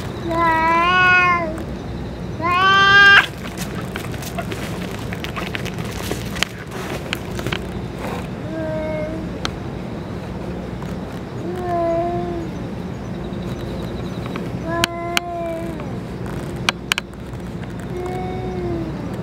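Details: Stray cats, with the boss cat after eating its food and medicine: two loud, strongly harmonic meows open, then softer, shorter mews recur at irregular intervals over a low background hum, with faint clicks.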